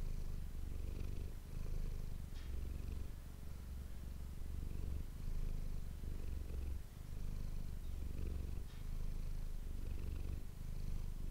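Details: Manis, a pet cat, purring close to an ASMR microphone indoors: continuous deep vibrating purr, rising and falling with breathing cycles of roughly two seconds, with faint soft rustles above.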